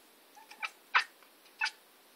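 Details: Maine Coon cat giving three short, chirpy meow-like calls over about two seconds, the middle one loudest, with a brief fainter chirp before them, in a quiet indoor setting.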